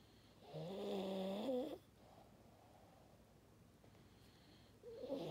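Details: Maddi the French Bulldog gives a nasal, droning snore of just over a second, then soft breathing noise, with the start of another honking snore at the end.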